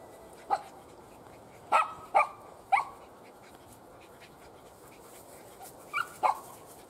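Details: Borzoi puppies at play give short, high squeaky yelps, about six sharp bursts over seven seconds, some in quick pairs, over a steady low background hiss.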